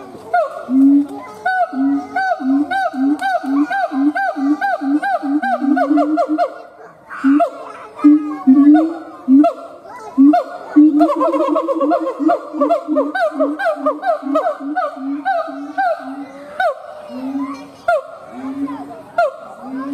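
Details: Siamang gibbon, male, performing a long howl sequence of rapid, repeated honking hoots, broken by short pauses, then resuming in faster bursts and ending with a few spaced, louder notes.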